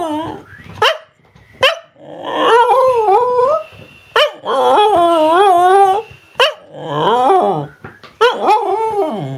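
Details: Cardigan Welsh Corgi, a female, 'talking' about her day with yips and grumbling, wavering howl-like moans that bend up and down in pitch, broken by short sharp clicks and breaths, in a quiet room.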